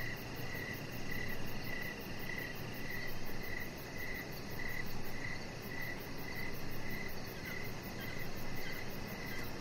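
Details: Crickets chirp in the evening beside a deck where a chihuahua puppy lies; around fifteen evenly spaced high chirps, a faint rapid ticking higher up, and a steady low background hum throughout.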